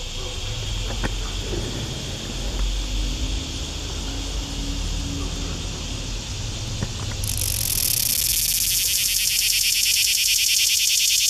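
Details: Green cicada recorded close up in Shelby County, Tennessee, in 2015: a fainter steady hiss with low rumbling background at first, then a loud, harsh, rapidly pulsing buzz bursts in after about seven seconds and continues to the end.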